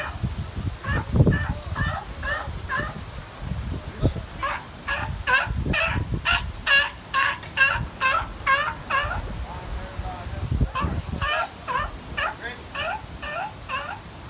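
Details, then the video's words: A sea lion in the Bahamas gives a run of hoarse, honking barks, each a quick harsh burst about twice a second. "Sea lion makes noise in Bahamas!!!"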